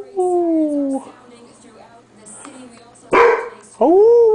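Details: A male Standard Poodle plays tug with a female dog friend in a 2003 home recording. A long, slowly falling tonal wail opens the clip, followed by a sharp clatter and then a rising, arched whine.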